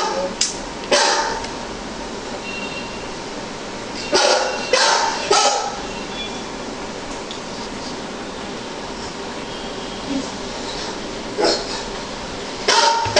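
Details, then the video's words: Golden Retriever indoors barking at a dog shown on a computer screen; loud sharp barks come singly and in quick pairs with long pauses between, over a steady background hiss and faint voices. "Golden Retriever Barking at Monitor"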